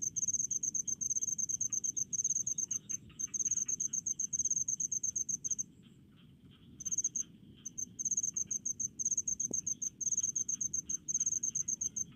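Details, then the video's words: Rice-field cricket calling in fast high pulsed chirps, repeated in bursts that pause briefly near the middle before resuming, with faint lower insect ticking and a quiet background. "SUARA JANGKRIK DI PESAWAHAN"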